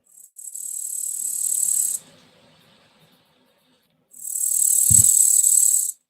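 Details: A grasshopper, heard about 13.5 miles inland near Myrtle Beach as Hurricane Dorian's eye passes offshore, gives two dry, high-pitched buzzing chirp bursts, each lasting almost two seconds.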